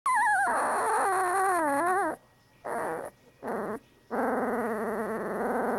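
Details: A one-week-old female Bernese Mountain Dog puppy growls in her sleep, as if dreaming, making thin, wavering, whiny growls in short bursts with brief silent gaps.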